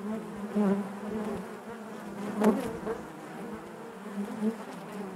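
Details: Hive buzzing of honey bees from within the colony: a continuous low hum with layered overtones, a louder surge near the middle as a bee passes near, then settling back to an even drone.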